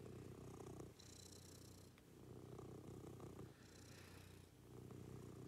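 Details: Domestic cat purring during a morning routine with its owner: a low, steady rumble broken into alternating inhale and exhale phases about every second and a half, with soft hissing breaths above.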